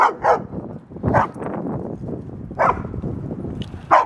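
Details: At a dog park, Ellie, a female German Shepherd weighing 75 pounds, barks for attention amid play with a large male Doberman and Great Dane; loud single and double barks spaced about a second apart over rustling movement.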